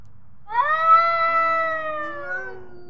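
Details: Domestic cat giving one long, drawn-out meow: a harmonic, tonal cry that starts with a brief upward sweep, then holds steady and slowly falls for over two seconds. The background is quiet apart from a faint low hum.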